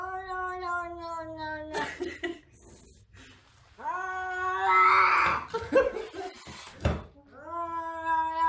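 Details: Indoors, a boxed cat lets out a sustained moaning cry that sags in pitch, then after rustling and handling noise a louder wavering yowl, and finally another rising wail at the end.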